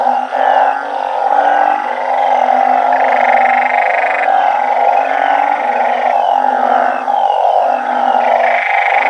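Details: Banded bullfrogs and balloon frogs in a backyard garden raised the natural way, calling in a loud nighttime chorus. Overlapping low bleating croaks with intermittent buzzy higher bursts fill the whole stretch without pause.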